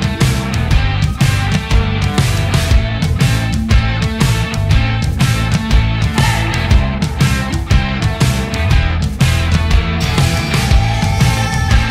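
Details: Loud rock music with driving drums, distorted guitar and heavy bass fills the whole stretch, beating steadily at about one accent per second; no animal voice can be picked out.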